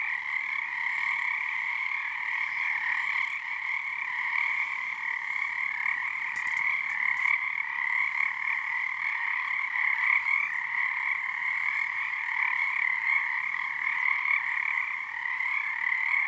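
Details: Under a full snow moon at Frog Korner, Harstine Island, Washington, a large frog chorus keeps up a seamless, resonant trilling drone of countless callers, with gentle rises in loudness and no pauses.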